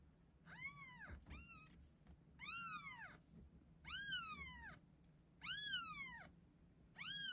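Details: Six just-delivered chocolate and chocolate-and-white Exotic Shorthair kittens at an Arkansas cattery, born February 25, 2024, give thin, high, arched meows one after another about every second.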